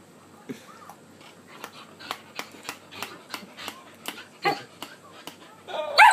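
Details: Shelby, a male pet Shetland Sheepdog known for 'talking' and telling his owner off when ignored, gives a steady run of short, sharp yips about every half second, ending in a louder, drawn-out whining bark.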